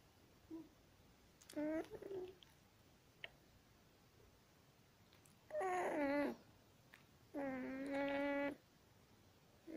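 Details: Aneliezh, a one-week-old longhaired German Shepherd puppy born 26 September 2020, gives three high squealing cries, two of them long and steady, amid quiet room noise and small rustles.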